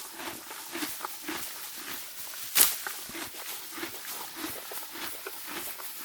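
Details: Morgan horse grazing spring grass: soft regular munching, roughly one chew every two seconds, with a single loud tearing snap midway.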